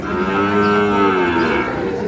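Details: Sahiwal bull calf at Ambari market, Dinajpur, Bangladesh, on a Monday; one loud, rich, harmonic moo fills nearly the whole stretch, steady then gently falling, with faint crowd noise behind.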